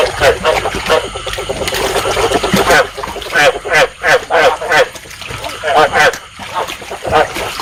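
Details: A lure for trapping rice field frogs, meant to stimulate breeding: bursts of throaty, honking croaks in short clustered runs, pausing between groups, over a constant hiss.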